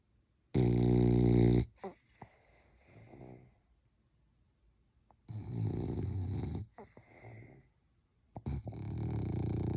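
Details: A French Bulldog snores in its sleep, sounding like a human: deep rasping snores roughly every three to four seconds, separated by softer wheezy breaths.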